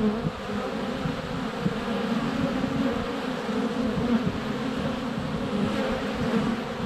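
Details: Honey bees in flight at a hive entrance on a sunny February day, a GoPro Hero 7 Black held under a foot away: a dense, steady low droning hum with a strong fundamental band, bees constantly circling close.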